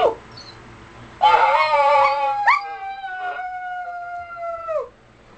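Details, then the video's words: A long, steady dog howl, loud and wavering at first, then settling into a flat sustained tone that drops sharply as it fades, with a brief yelp in the middle. "Dog Howler"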